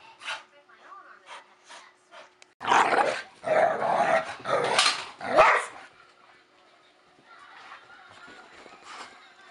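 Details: Pair of pet dogs, Staffordshire Bull Terrier and Collie cross, playing rough; after quiet scuffling, about three seconds of loud snarling growls and yelps, then quieter background sounds.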